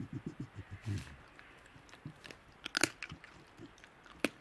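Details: Feeding wild Tasmanian devils in the Tasmanian bush give a rapid run of low, throbbing growl pulses. Sharp crunching and snapping bites follow as they eat.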